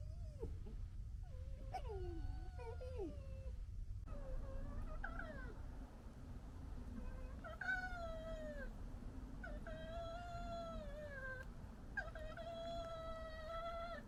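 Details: Members of a local red fox family in a squabble, with gekkering and fighting; drawn-out, harmonic wailing cries that bend and waver, repeated in bouts of one to two seconds, over a steady low background hum.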